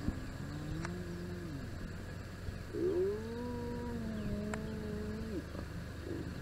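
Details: Spotted hyena clan interacting at their den site in the southern part of Kruger National Park, where the clan's hierarchy shows. Long, drawn-out tonal moaning calls, gently rising and falling, overlap in sequence over a steady low background hum.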